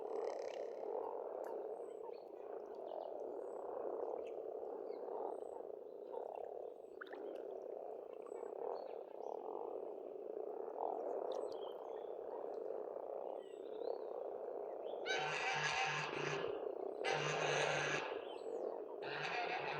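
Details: Springtime frog chorus from a pond at a farmstead in Estonia: a continuous layered croaking drone. Near the end, loud harsh rasping bursts break in three times, with faint bird notes above.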